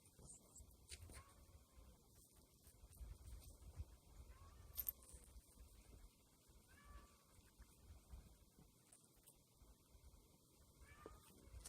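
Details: Domestic cat mewing faintly, four soft arched calls spaced a few seconds apart, each briefly rising then falling, over steady low rumbling background noise.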